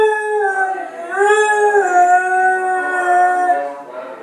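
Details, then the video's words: A beagle howling: one long, steady, tonal howl lasting about three and a half seconds. It wavers slightly, dips briefly near the one-second mark, then holds level before trailing off into a short, softer final note. "beagle howling"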